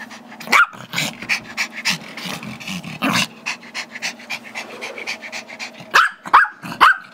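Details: Five-year-old Chihuahua/Yorkie mix Gizmo wants the squeaky toy that Tigger, a two-year-old Yorkie, is holding. One sharp bark opens, then panting and scuffling follow, and a quick burst of three barks closes the stretch.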